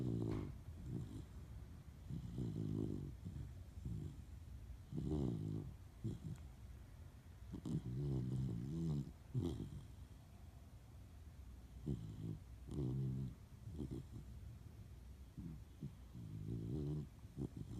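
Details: German Shepherd puppy snoring indoors, a low rumbling snore in slow breaths, each rasping inhale lasting about a second, repeated at irregular intervals with quiet gaps between.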